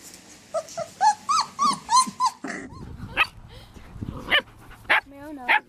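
A German Shepherd gives a string of short, harsh barks with yelping, whiny overtones.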